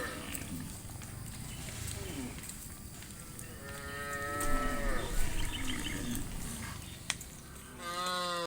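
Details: Afternoon forest with dozens of tame cows hurrying toward the farm pen; quiet hoof and leaf noise, then a rising, wavering moo midway and another strong moo at the close, with distant lowing between.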